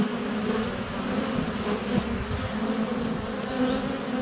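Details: Continuous buzzing of honey bees in flight right at the hive entrance during sunny February weather, captured by a GoPro Hero 7 Black less than a foot away; a thick, even hum with passing bees swelling louder.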